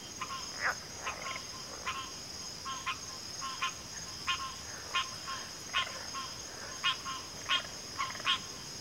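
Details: Chorus of frogs with brief crisp clicking croaks repeated at uneven intervals, roughly one or two per second, over a continuous high-pitched insect-like whine.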